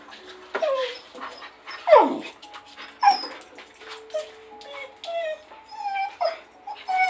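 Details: A female Blue Heeler whines indoors because she cannot reach her toy, begging for help; repeated high wavering whimpers, some sliding downward, about once a second, while a person talks to her about the ball.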